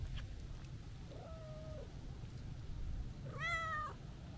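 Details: Happy calico cat, a stray coming to greet someone, gives two meows: a soft flat mew, then a louder, richer meow that rises and drops, against a low background hum.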